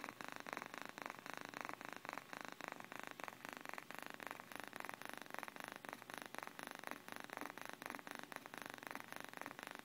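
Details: Sleeping house cat giving a continuous low purr, rapid regular pulses running unbroken for ten seconds at a gentle, even volume in a quiet room.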